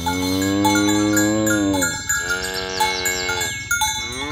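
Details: Tame village cows walk to the pen in the morning. One long, steady, low moo lasts about two seconds and is followed by a second, shorter moo. Ringing cowbells chime throughout.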